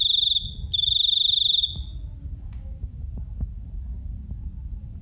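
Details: A cricket gives two short shrill pulsed trills in the first two seconds, then falls silent, leaving only low background rumble and a few faint clicks.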